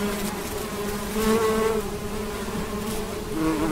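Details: A large swarm of honey bees hums in a steady, low drone while flying to gather nectar and bring it back to the hive, with many wingbeats overlapping and swelling slightly in loudness as bees pass close.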